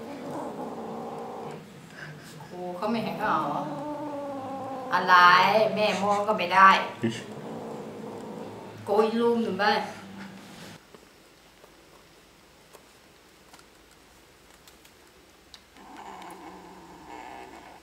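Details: Kittens fighting over a sock, giving wavering, drawn-out yowls and growly cries in bursts, mixed with a person talking in Thai, followed by a quieter stretch and a low murmur near the end.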